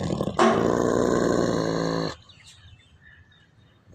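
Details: Wolfdog giving a single loud, steady-pitched, strongly harmonic cry that lasts nearly two seconds, starting and stopping abruptly, followed by quiet background with faint small noises.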